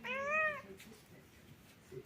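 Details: A pet cat hiding in a scarf gives one clear, drawn-out meow that rises slightly and falls over about half a second, then stays quiet while a woman talks playfully nearby.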